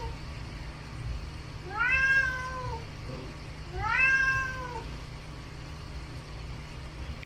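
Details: Indoor pet cat demanding at the refrigerator, remembering the dried sardines once stored there; two clear drawn-out meows about two seconds apart, each rising briefly then sliding down, with quiet room hum between.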